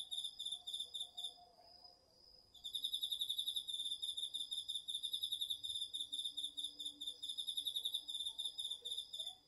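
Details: Cricket from an autumn insect chorus in a home garden field, recorded on a DR-40X: rapid high pulsed chirping, a short pause near the start, then a long steady run of quick pulses, with a softer lower insect tone in the background.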